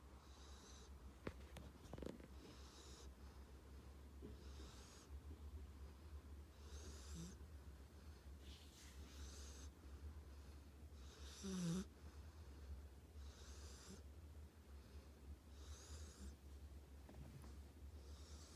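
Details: Tank the dog snoring while asleep: soft breathy rasps repeat roughly every two seconds over a steady low hum, with one brief louder snort near the middle.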